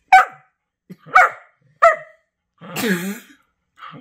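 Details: Two pet Whippets, Henry and Vinny, playing their favorite game of chewing on each other indoors; four sharp barks spaced about a second apart, the last drawn out and wavering, with a faint yip at the end.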